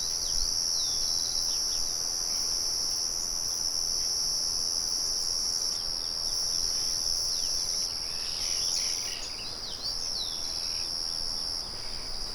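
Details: Crickets outdoors keep up a constant high trill, joined by a flurry of sliding bird chirps near the end. A mill hums softly in the background.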